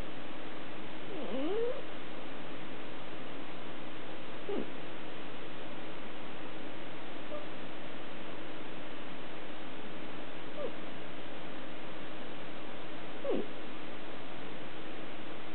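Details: A female domestic cat snoring in her sleep at night indoors, faint squeaky whistled breaths rising in pitch, recurring about every three seconds over a steady low hiss.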